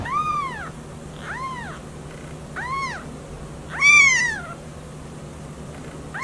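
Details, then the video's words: Kittens meowing: four high, arched mews with bright harmonics, each rising then falling, spaced about a second apart, the fourth louder and wavering, over a steady low hum. "Kittens meow"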